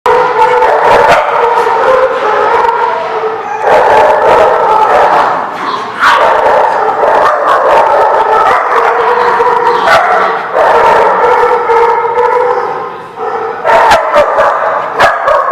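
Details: Many dogs recorded on 19 August 2016 bark, yip and howl together in a loud, unbroken chorus, with sharp barks cutting through overlapping wavering howls for the whole stretch.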